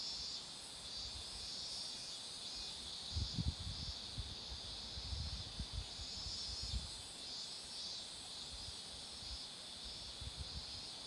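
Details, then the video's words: A steady, bright hiss of cicadas fills this roadside spot among blooming marigolds. A stretch of low rumbling noise rises in the middle, then fades. "매미소리도 들어 보세요~"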